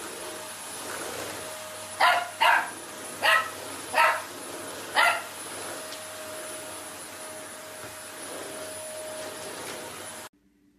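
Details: Dachshund barking in a run of five sharp, loud barks spread over about three seconds, each brief and separate, over a steady background hum.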